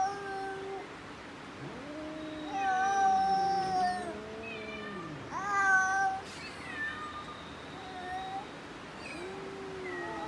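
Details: Domestic cat giving a series of long drawn-out meows and caterwauls, some rising then sliding down, others level and whining, several calls over ten seconds against a low steady background hiss.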